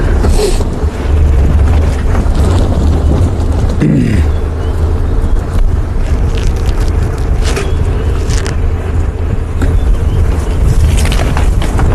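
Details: Steady low engine rumble with scraping and jolts, like a vehicle driving over rough ground; no animal calls.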